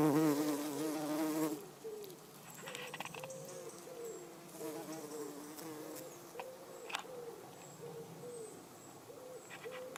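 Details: A garden bumblebee (Bombus hortorum) forages on everlasting sweet pea flowers (Lathyrus latifolius) in a garden, buzzing loudly and low, then its hum drops to softer, wavering snatches as it moves around.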